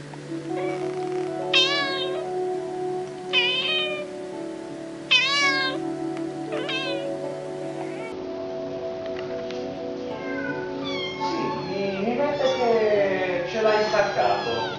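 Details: Kittens give thin, high, arching meows, repeated every couple of seconds over soft background music.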